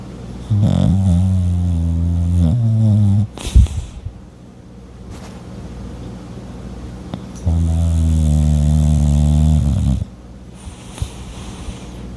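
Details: Sleeping French bulldog snoring: two drawn-out, deep droning snores about two seconds each, separated by a snort and a long quiet stretch of soft breathing.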